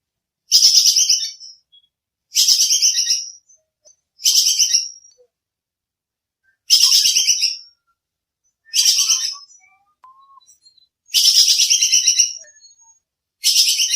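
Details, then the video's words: Squirrel called bajing kekes in Indonesia, clear sharp calls used as songbird tutor audio: seven harsh pulsed rattles, some longer and rolling, others clipped, at irregular one- to two-second intervals, with no other sounds. "Suara bajing kekes buat masteran kicau || Suara jernih full nembak"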